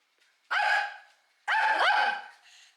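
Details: Shih Tzu dog barking threateningly at mealtime: two loud, drawn-out, harmonic barks about a second apart, each with a rough, strained, slightly wavering tone, in an otherwise quiet room.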